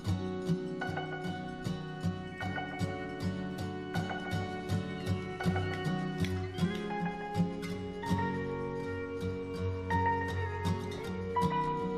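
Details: Gentle plucked instrumental music plays throughout, with steady notes and no animal sounds.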